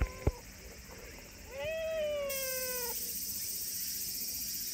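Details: A friendly silver tabby community cat outdoors gives one drawn-out, slightly falling meow with clear harmonics lasting about one and a half seconds, then a bright hiss of background noise takes over.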